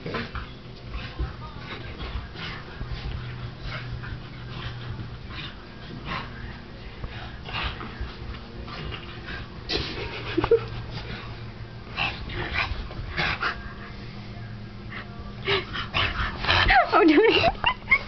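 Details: A newly acquired bulldog named Meatball whimpers indoors, giving high, bending whines midway and a louder burst of curved, wavering whimpers near the end, over steady shuffling and rustling noise.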